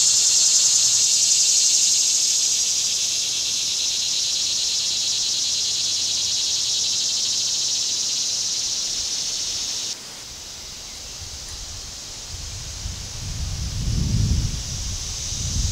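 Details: Summer cicadas keep up a shrill continuous buzz that drops abruptly in loudness partway through, then carries on more softly beneath low rumbling noise near the close.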